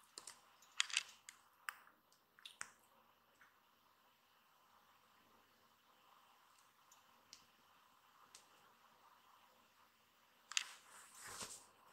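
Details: Quiet indoor room with scattered soft clicks, taps and rustling bursts, and no animal voice heard.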